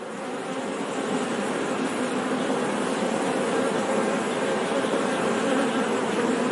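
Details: Honey bees buzzing as a steady, dense drone, a soft continuous hum with a band around the middle pitches and no pauses; no other sounds stand out.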